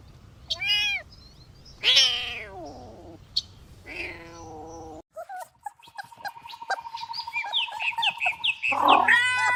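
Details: Kittens romping on green grass: several short rising-and-falling meows in quick succession, then a steady high whistling tone with clicks and scattered chirps, ending in louder noisy rustling.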